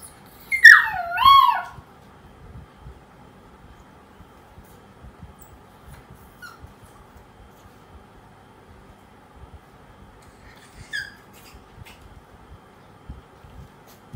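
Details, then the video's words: Poodle puppy crying after being left alone indoors: one high, wavering whine near the start that slides down in pitch, then a long quiet stretch with a faint short squeak later in a small room. "SEDIH DENGAR PUPPY POODLE MENANGIS SAAT DITINGGALKAN SENDIRI"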